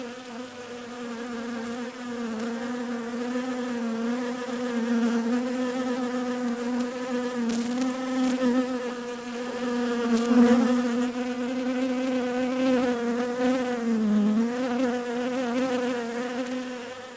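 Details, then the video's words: Continuous bee hum, a low droning buzz with layered overtones, pitch wobbling slightly and loudness swelling toward the middle, peaking near ten seconds, with a few faint ticks scattered through. "Relaxing Bees Buzzing Sounds"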